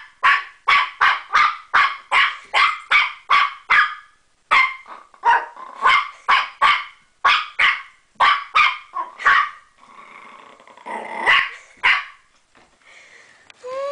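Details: Puppy playing with a door stopper, barking in quick bursts of sharp, high yaps, about twenty in fourteen seconds, with short pauses, softer rasping growl-like noises and scraping near the end.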